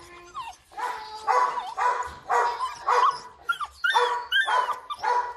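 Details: Rottweiler puppies with wrinkled faces at a Vietnamese kennel, crying in a steady run of high yelps and whining squeals, roughly two a second, several overlapping with brief rising whistles.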